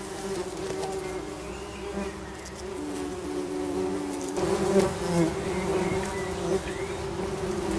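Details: Tree bumblebees (Bombus hypnorum) at a nest holding young queens: overlapping steady buzzing hums from several bees, with wing tones wavering and swelling, plus faint high chirps of birds in the background.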